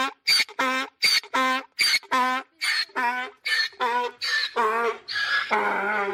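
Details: Braying mule alternating breathy high wheezes with deeper harmonic honks, a seesawing hee-haw rhythm repeated steadily over six seconds.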